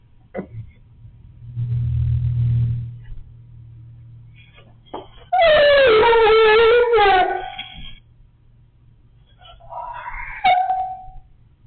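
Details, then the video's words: Low background hum, then a Siberian Husky gives a wavering, quavering howl of about two and a half seconds, dipping and rising in pitch, and later a short rising whine. "dog funny sound"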